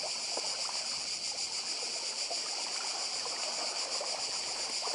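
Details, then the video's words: Cicadas on Badija island, Croatia, singing by the sea: a steady, unbroken high-pitched hiss fills the air, with the softer wash of sea waves rustling underneath. "Cykady i szum morza w Chorwacji"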